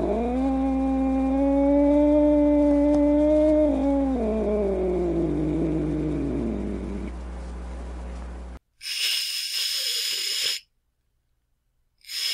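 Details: Angry cat holding a steady, drawn-out moaning yowl that sags downward and fades, then breaking into two harsh, noisy hisses.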